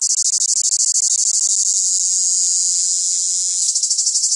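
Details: Song of cicadas in the south: a shrill, rattling buzz that starts in quick distinct pulses, smooths into a steady drone, then breaks back into pulses at the end.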